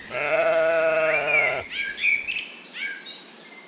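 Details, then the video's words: Lambs grazing in a cool green forest: a long, steady, nasal bleat lasting about one and a half seconds opens the clip, then fades, leaving bright bird chirps and whistles in the background. "Sounds of sheep bleating"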